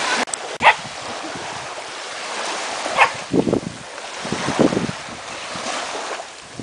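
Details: Female dog on an ocean beach on her first visits, running up and down and obsessively barking at and biting the waves; two sharp barks, one near the start and one about three seconds in, over a steady roar of surf, with a few lower thuds later.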